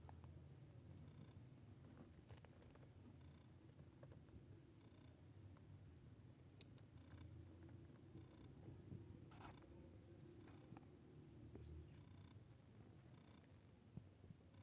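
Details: Cat purring as a kitten meets a big cat indoors: a continuous deep, rolling vibration that holds steady throughout, with scattered light clicks and soft scuffing noises over it.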